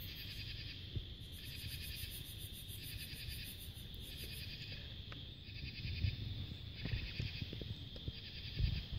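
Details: Cicadas and other insects drone in a steady high chorus at summer twilight in July 2022, under a crescent moon, with pulsing bursts over a low rumble.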